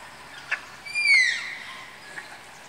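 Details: A single shrill, whistled squeal dropping in pitch comes from the Malayan tapir house at Tama Zoological Park during pairing. Soft knocks are heard before and after.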